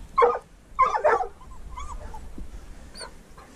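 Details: Barking during a mink hunt with a treeing walker coonhound and a dachshund: one sharp bark, then a doubled rough bark about half a second later, followed by softer whining tones and quiet outdoor background.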